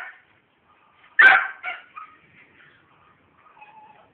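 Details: Pet pit bull recovering from mange, letting out one sharp bark, then a softer follow-up bark. Quiet faint sounds come afterwards.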